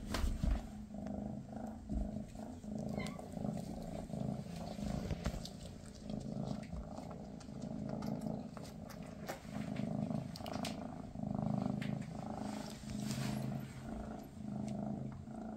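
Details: Maine Coon mother Freya and her kittens on their final day together before the kittens move away: a long, even low purr with a gentle throb, overlaid by soft rustling and handling noises.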